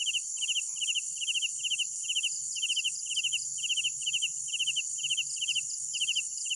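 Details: Chirping of night crickets: short pulsed bursts repeated steadily about twice a second against a continuous high-pitched insect buzz and a soft low murmur.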